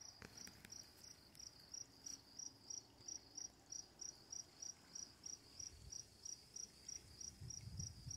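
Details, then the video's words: Crickets chirping in the dark: evenly spaced, high-pitched pulses repeated roughly three times a second, with a few sharp clicks early on and a soft low rumble toward the end. "Crickets, Running Water, Night Sounds"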